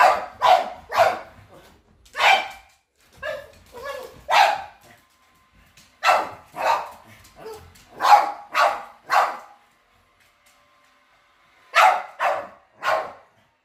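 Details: Dogs facing a robot vacuum for the first time bark in irregular clusters, with softer, lower sounds between some barks and longer silent gaps, before a final trio of sharp barks.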